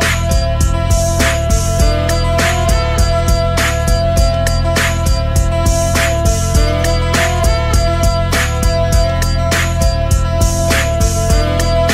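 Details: Loud rhythm-and-blues music with a strong beat, guitar and steady bass, and no animal voice.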